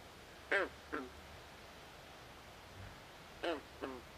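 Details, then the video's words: A night swamp frog gives short, harmonic croaks that slide downward, delivered in pairs roughly half a second apart, with two such pairs about three seconds apart over a quiet background. "Natural Ambient Sounds Of Frogs At Night"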